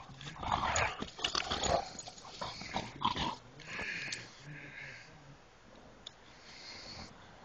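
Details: Dog making rough, breathy growls and snorting huffs in an irregular cluster during the first three seconds, then quieter wheezy breaths with a faint high hiss in the background.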